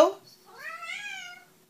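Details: Pet cat answering a person's hello in a funny compilation: a brief voice at the start, then a clear rising-then-level harmonic meow lasting nearly a second, indoors in a quiet room.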